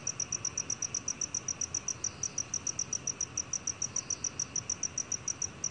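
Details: Black cricket from a 2020 recording, chirping without a break: a steady train of bright, high, ringing pulses at roughly five per second for the whole stretch, with a soft background hiss.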